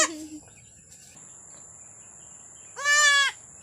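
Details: Goat doe in labour, aged one year two months, kept on a farm. After a long quiet stretch, one brief cry is followed by a strong, nasal, harmonic bleat lasting about half a second, with a constant high-pitched whine behind it.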